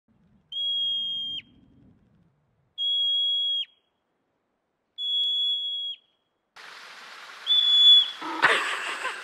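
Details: A yellow-bellied marmot (Marmota flaviventris) gives loud, flat, piercing whistles, each about a second long, repeated as an alarm warning other colony members of possible danger.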